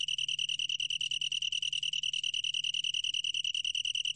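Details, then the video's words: Unbroken high chirring trill of a Long-tailed tree cricket, from the National Institute of Biological Resources, 2020, pulsing rapidly and evenly at a single shrill pitch, with a quiet low rumble underneath. "긴꼬리, 여러번 듣기, 곤충소리"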